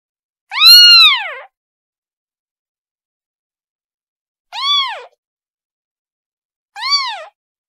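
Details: Kitten calling for its mother: three high, arched meows with rich harmonics, the first long and loud, the next two shorter and softer, separated by long silent gaps.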